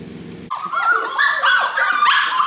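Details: Golden Retriever puppies: after a short quiet start, a sudden burst of loud, high whining yelps, with several overlapping cries sliding up and down in pitch, continuing without a break.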